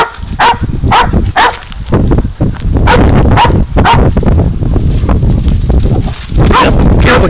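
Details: A dog named Spud holding a goat at bay before its catch and release; gruff barks break through heavy low rumbling and handling noise, coming in quick pairs early on and then fading under the din.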